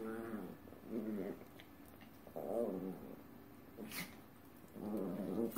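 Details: Two Chihuahuas dancing indoors, giving short harmonic growling whines in bursts about every one to two seconds, with quiet gaps between and a brief sharp click near the end.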